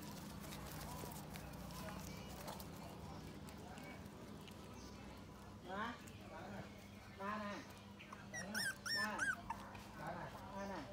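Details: Puppies suckling from their mother, giving a few high, wavering whimpers and squeaks in short bursts in the second half, over a steady low hum and faint voices.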